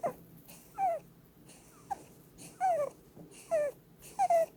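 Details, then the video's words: Blueberry, a female Holland Lop rabbit, snoring in her sleep while being cuddled: short whistled notes sliding downward alternate with soft breathy rasps, roughly one breath per second, in a quiet room. "Cuddling with a SNORING bunny!"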